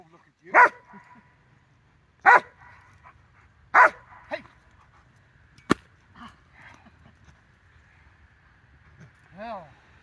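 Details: Rottweiler recorded on 4 September 2022: three loud, deep barks roughly every one and a half seconds, then a sharp click, soft short grunts and a closing rising-then-falling whine, with people talking in the background.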